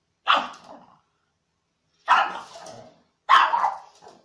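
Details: A dog barks three times, sharp and harsh. Each bark starts abruptly and trails off quickly. The first is followed by a long pause, then two come closer together.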